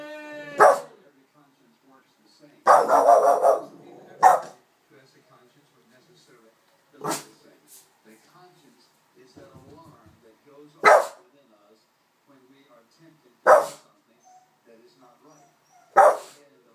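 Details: Agitated Boston Terrier reacting to a person in a chicken suit, giving a series of abrupt, forceful barks, some single and one short double burst, spaced irregularly with quiet gaps between them.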